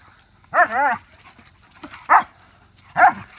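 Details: Dog barking on a 'speak' command from a household with Samson, 5 months, and Odin, 5 years: three arched, harmonic bark-whines, the first drawn out, the others shorter, spaced about a second apart, with faint voices between.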